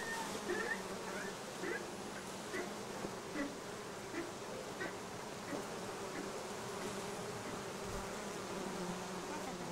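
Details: Bees gathering on acacia and other plants by the Sun Motorway near Cernavoda and Medgidia, Romania; constant low humming swarm sound, overlaid by scattered chirpy bird notes and faint distant voices.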